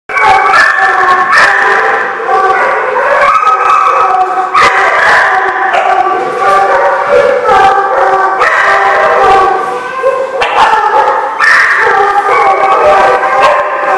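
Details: Many dogs at a kennel howling and barking together, a dense, continuous chorus of overlapping wavering howls and yelps with no pauses.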